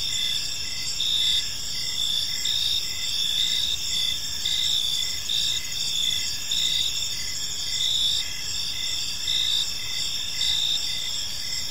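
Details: Evening in a quiet park, with crickets giving a continuous high-pitched chirping chorus, pulsing in short bursts about every half second, several overlapping voices, and a soft low hum underneath.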